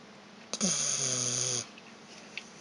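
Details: Resting indoors after a walk, the dog Vita gives one loud, rasping snore of about a second, buzzy and steady, then falls quiet; faint paw-licking from a second dog, Evchik, is heard nearby.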